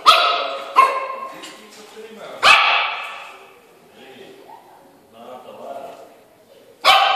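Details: A Yorkshire Terrier seeing itself in a mirror for the first time gives sharp, high-pitched barks, with quiet human speech in between.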